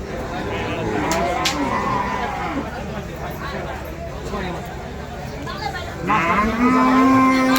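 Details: Cattle for sale at Patiljhap market (Patiljhap bazar), a busy livestock trade day: steady crowd babble and men's voices, then a loud, sustained low moo with strong harmonics fills the final second.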